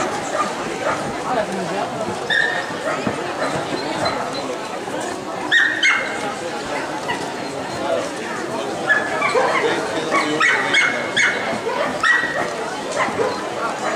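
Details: Siberian Husky at a dog show in Wieze, Belgium, 2015, giving repeated high, thin whines and yips, some drawn out and level, others clipped, scattered through the clip beneath constant crowd talk and hall noise.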